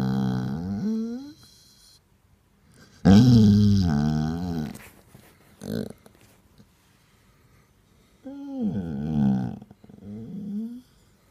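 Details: Grumpy Basset Hound wanting attention indoors, in a small room: drawn-out, wavering groaning moans that rise and fall, one loud grumbling bout in the middle, then a shorter whiny moan and a final grumble.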